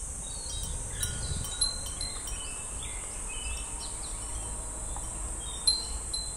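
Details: Cicadas keep up a steady, high-pitched hiss of song while wind chimes tinkle brightly over it, on a summer day at Namegawa Shrine in Sukagawa, Fukushima, Japan.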